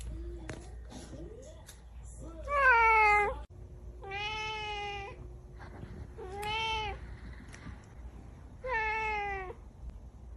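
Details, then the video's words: Cat and kitten meowing: four drawn-out, tonal meows spaced about two seconds apart, each rising slightly then falling, with a softer scratchy sound early on and a low steady hum underneath. "Cat and cute kitten 😸 || Cat Meowing"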